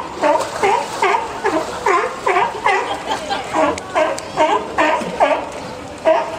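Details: California sea lion mother and pup resting at Higashiyama Zoo, captured on a PowerShot S3 IS camera: a steady run of short, harmonic, bleating calls, each bending down then up, repeated about every half second with crowd noise behind.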